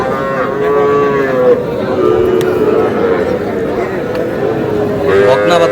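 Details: Cattle at a crowded market in Comilla, Bangladesh, during the buying of small heifer calves; repeated drawn-out lowing moos sound beneath loud market chatter, with a sharp click and more calling near the end.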